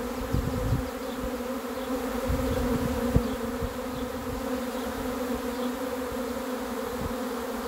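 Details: Swarm of honey bees arriving: a dense, steady droning hum with a low fundamental and a strong overtone, continuous throughout. Scattered low thumps and knocks, plus faint high chirps repeating in the background.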